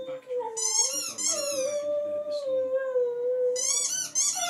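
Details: A pet dog howling indoors: a long, wavering mid-pitched tone held for several seconds, with bright, harsh yelping bursts at the start and end.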